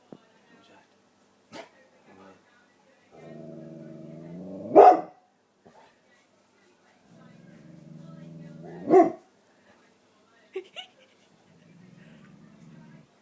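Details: Pet dog at home, wound up by people about a possible cat in the garden: low drawn-out whining growls building into a sharp loud bark, heard twice, with brief human voices between.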